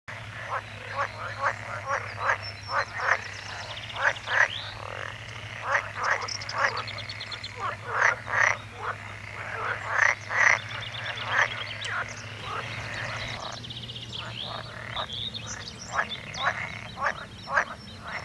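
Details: Frogs calling in a dense chorus of short croaking pulses centred mid-pitch, many overlapping voices repeating rapidly with brief pauses, a steady low hum underneath.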